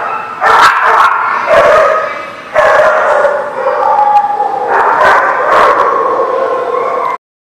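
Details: A dog gives loud, drawn-out, harmonic barks and yelping whines. About four long calls follow one another with brief gaps, each held for roughly a second or more, before an abrupt cut to silence.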